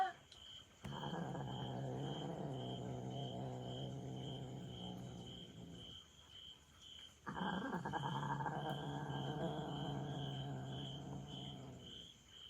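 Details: Char, a young orange tabby hachiware rescue cat aged 1 year 4 months, angry at its mother cat after she returned early from a week-long trial. Two long, low, rumbling growls, each about five seconds, separated by a short pause, over a steady background of crickets.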